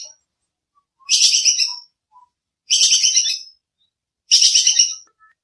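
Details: Bajing kekes squirrel call recorded cleanly for training songbirds: three rattling, staccato bursts, bright and high, each lasting under a second and following roughly every one and a half seconds.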